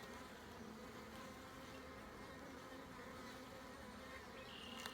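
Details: Colony of honey bees humming throughout a hive inspection, a dense, unbroken low drone with stacked harmonic layers holding steady for five seconds, with only a faint tick at the end.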